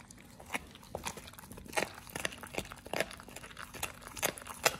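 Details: Indoors, a Pit Bull named Oliang crunches a raw ostrich paw on his first try: bright, crisp bites repeating roughly every half second, steady and fairly loud throughout.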